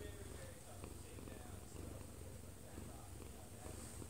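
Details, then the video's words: Close-up of a one-year-two-month-old odd-eyed Munchkin cat purring as it sleeps in its owner's arms; continuous low, even rumbling, with a television murmuring quietly in the background. "아빠 품에서 자는 꼬부기 골골이 - 1살+2개월 오드아이 먼치킨 고양이"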